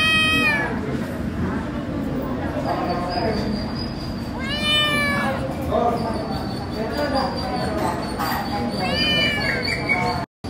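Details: Turkish Angora kittens on a first visit to the veterinarian, heard as several drawn-out, wavering meows spaced a few seconds apart over a steady background hum and a faint voice.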